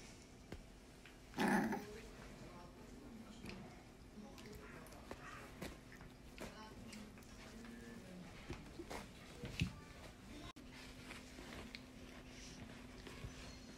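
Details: A lively male brindle French Bulldog puppy gives a single short, sharp bark amid a quiet indoor hum.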